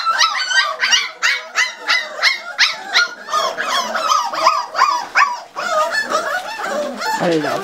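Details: Hungry Pembroke Welsh Corgi puppies, five weeks old, demand food with a chorus of short yelping barks, roughly three per second, mixed with higher squeaky whines from the litter overlapping toward the end.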